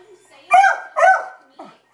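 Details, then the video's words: Beagle named Libby in panic mode at dogs across the street gives two drawn-out, howling barks followed by a short soft yip, with a quiet voice beforehand. "Sweet Beagle or Maniac Alarm?"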